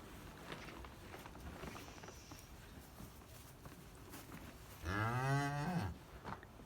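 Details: Cow on a farm shortly after giving birth to a calf: a single low, drawn-out moo lasting about a second, rising slightly then falling, over quiet rustling background noise.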